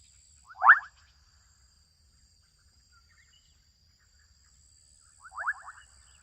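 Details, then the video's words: Adolescent frogs in a Kenyan wetland give two short, rapidly pulsed, rattling calls several seconds apart over a faint steady hum. "Adolescent frogs calling out in Kenyan wetland. -Sound effect"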